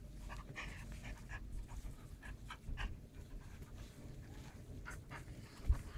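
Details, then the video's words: German shepherd puppy aged 49 days battling a sleeve, breathing in fast hissy pants repeated roughly every half second, over a low rumbling background and one sharp knock near the end. "German shepherd puppy fighting"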